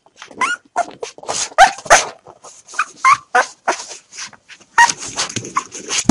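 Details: Hungry three-day-old puppies, five of them, crying before being hand fed their milk; loud, squealing whimpers and yelps tumbling over one another in uneven bursts, with a steady high hiss underneath.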